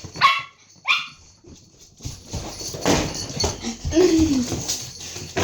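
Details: A dog in a back-and-forth argument with its owner gives two sharp, high barks at the start, followed by a noisy, rumbling stretch with a brief whiny tone near the end.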